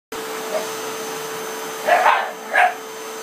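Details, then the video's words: Pug attacking a running vacuum cleaner, giving two short, sharp barks near the end against the machine's loud, steady whine. "Pug attacks vacuum"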